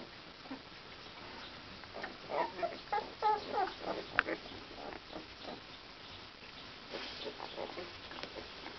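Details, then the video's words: Akita puppies giving a quick run of short, squeaky grunting whimpers, about six in under two seconds. Softer scattered squeaks and shuffling, sniffing noises follow. "puppies Akita Uma"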